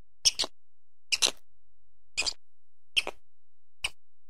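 Brief, harsh squeaky chirps from a squirrel come in a loose series about a second apart, each a rasping double-burst. The background is otherwise quiet, with no other clear sounds.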